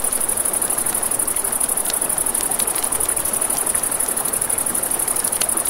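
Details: High, evenly pulsing cricket chirring at night by a river, continuous throughout, mixed with rushing water and frequent sharp pops and crackles from a campfire.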